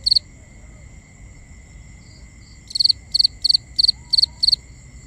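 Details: Crickets calling at night; after one early chirp and a quiet stretch with soft high hum, a series of six evenly spaced triple-pulsed chirps follows, bright and high-pitched, over faint low rumble.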